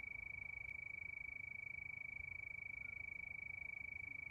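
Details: Crickets chirping under a night moon, a steady high, thin trill pulsing rapidly and evenly without a break, over a faint low hum.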